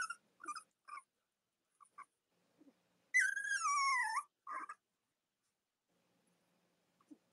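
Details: Cavalier King Charles Spaniel puppies from Robin and Myra's litters. Soft scattered squeaks surround one drawn-out, second-long cry that slides steadily downward in pitch, followed by a short yelp and then near silence.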